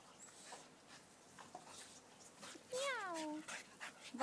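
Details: Staffordshire Bull Terriers, staffies: soft rustling and breathy noises, then one clear high whine that slides downward in pitch for about half a second, followed by quieter scuffling.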